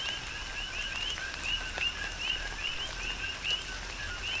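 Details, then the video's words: Coqui frogs in tropical rain on the Big Island of Hawaii. Short rising chirps come roughly once a second from overlapping callers, set against continuous rain patter and scattered drips. "Tropical Rain & Coqui"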